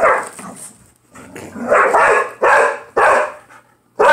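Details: Playful tug-of-war between two pit bull dogs over a toy inside a home; harsh growling barks come in four or five separate bursts, with lower rumbling growls in the gaps.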